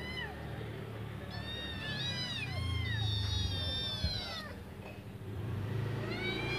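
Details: Hungry kittens, five in the litter, call for their absent mother to come back and feed them: clustered high arching meows overlap through the middle seconds, with quieter calls at the end above a rumbling low background.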